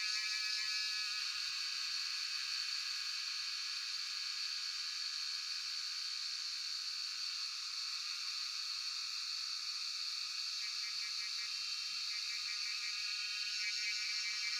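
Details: Cellphone recording of Jhyaukiri cicadas at Shivapuri National Park, Tarkeshwor: a constant hissing, high drone centred on one bright sustained pitch, with brief pulsed bursts near the start and end.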